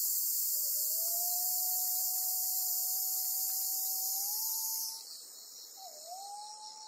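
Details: Held by a golden-web spider on Amami Oshima, Japan, a black cicada buzzes loudly and shrilly for about five seconds, then breaks off abruptly, leaving a faint steady whistling tone in the background.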